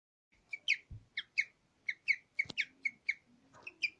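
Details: Nyusha, a pet guinea pig, in her last recording before her death, "singing": a series of short, bright chirps with sharp harmonics, repeated irregularly about every third of a second, with a few soft thumps between them.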